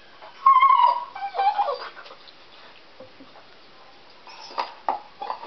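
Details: Deaf pet dog crying while chewing on a stick: a strong, high, tonal whine with wavering harmonics in the first second, then broken whimpers around two seconds, a quieter gap, and a further burst of whines near the end.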